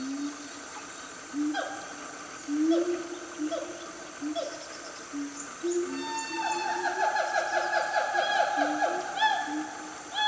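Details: Wild siamang family calling loudly in Gunung Nuang forest, Selangor, Malaysia, around 10 am on a cool morning. Low harmonic hoots start sparse, then build into a dense chorus of rising whoops and rapid high notes.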